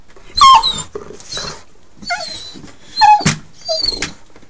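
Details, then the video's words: A pet dog eager to go out for a car ride gives high, wavering whines and short yelps in short bursts, with a person's voice speaking between them indoors. "DOG WANTS OUT"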